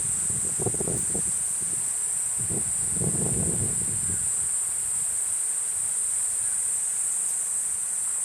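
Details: Continuous shrill drone of a Platypleura kuroiwae cicada, an unbroken high-pitched buzz, with soft rustling and handling noises in the first half.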